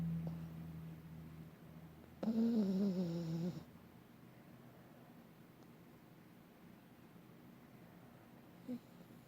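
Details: Sleeping pet dog snoring and dreaming indoors: a low, steady droning snore opens, then a louder harmonic, slightly wavering groan lasting over a second, followed by quiet breathing-level room hum and one faint short sound near the end.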